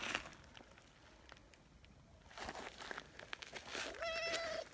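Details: Community tabby cat Nyahha, running over in a hurry after being left a little behind, gives a clear sustained meow near the end, steady and slightly drawn out, after rustling and footsteps.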